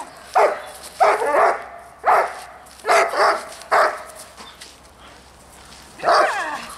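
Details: Dog barking during distraction training at a dog school: a few loud, rough barks spaced under a second apart, a pause, then one final bark.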